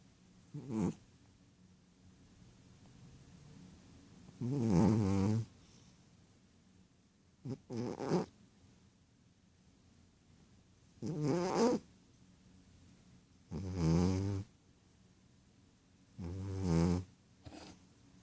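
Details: Ragdoll cat sound asleep and snoring: six to seven throaty, rattling snores, some long and some brief, spaced two to three seconds apart, with low rumbling tones and quiet breathing between.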